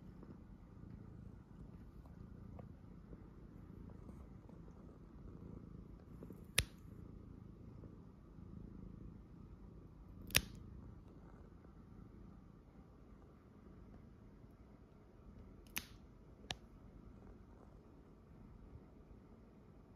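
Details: Pet cat purring in a small room during nail trimming, staying well-mannered; soft, even low purr runs the whole time, broken by four crisp clipper snips.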